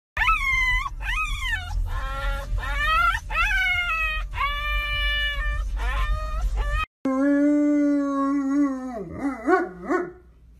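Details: Dogs howling: a run of short, rapidly repeated arched yowls over a rumbling low background, then after a cut a long steady howl that breaks into quick wavering yips.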